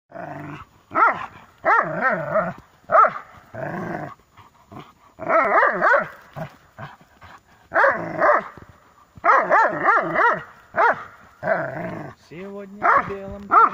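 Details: Dobermanns playing tug-of-war: bursts of harmonic barks and growly yelps in clustered volleys of two to four, with short silent gaps between bouts.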